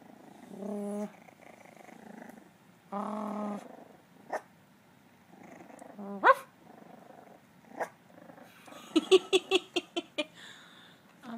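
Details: Young puppies learning to bark: low, tonal growling whines in short spells, then a quick run of about six high, sharp yaps near the end. There is faint room noise between the calls.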